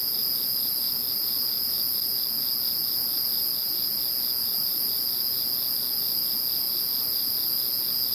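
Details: After Typhoon No. 21 passed, a chorus of many insects keeps up a continuous ringing drone, with a sharp steady note, a fainter pulsed trill below and a thin hiss higher up; no other sounds stand out.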